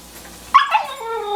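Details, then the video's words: 11-week-old Husky puppy taught to speak, answering a question about where the twins are with a short, harmonic, voice-like whine that leaps up sharply then slides downward over about a second; a person's speech before and after. "11 Week Old Husky Puppy Talking (Howling At 1st, But Watch & See)"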